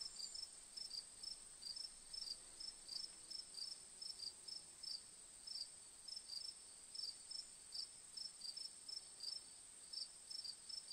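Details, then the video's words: Long run of cricket chirping, fast high pulses in pairs and clusters, around forty in eleven seconds, with an unbroken high-pitched whine behind them. "Relaxing Moon with Cricket Sounds"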